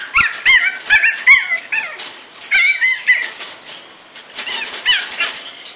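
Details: Caged three-month-old pug DouDou, upset at being shut in after eating a raw fish ball, gives rapid high whining yips with bending pitch, in clustered bursts with brief pauses, in a small indoor room.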